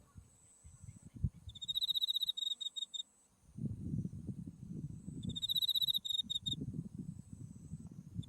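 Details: High, buzzy insect trills in autumn at a white-flowering buckwheat field in Japan, Mount Tsukuba behind. Two trills of about one and a half seconds each, a faint steady tone beneath, and gusty wind buffeting the recording.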